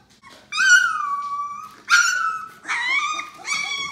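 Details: Yellow Labrador Retriever puppies, 18 days old, indoors: long drawn-out whines with rich harmonics, four cries in under four seconds, each starting high then sliding level and fading, in a quiet small room.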